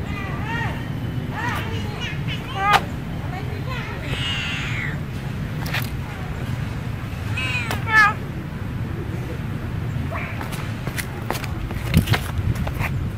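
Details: Bopha, a female cat in Siem Reap, Cambodia, meows while walking after the camera: short bent meows repeated every second or two, then a longer wavering one and later meows, over steady low hum with sharp clicks and taps.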